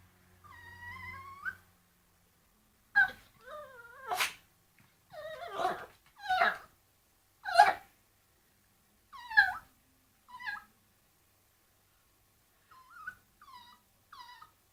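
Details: Dog barking at a bone: a whiny opening, then about ten short, sharp barks and yelps at irregular intervals, some harsh and loud, others thin and squeaky, with quieter yips near the end.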